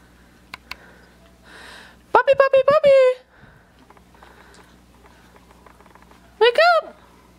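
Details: Australian Shepherd puppies, three weeks and five days old, indoors on the day of their first puppy mush: a burst of several high, harmonic whines sliding downward, then a single rising-falling whine near the end, with quiet shuffling between.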